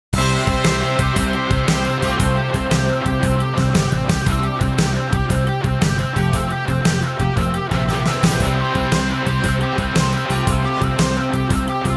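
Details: Loud rock music with driving drums and guitars plays throughout, with no animal sounds.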